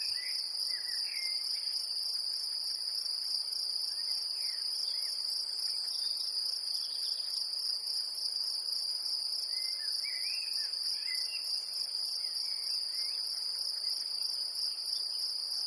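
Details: Great green bush-cricket recorded in Brittany, France, stridulating in one continuous, even, shrill buzz without pauses, while scattered soft bird chirps are heard in the background.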